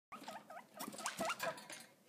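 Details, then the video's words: A female pet guinea pig squeaking and chittering for carrots, a run of short, rising and falling squeaks, each under a quarter second and repeated several times a second, with some patter and a faint human voice. "Guinea Pig Squeaking For Carrots"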